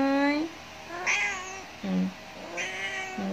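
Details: Pet cats indoors giving a run of drawn-out meows, four or five in about three seconds, alternating between lower steady calls and higher, brighter wavering ones, with faint music in the background.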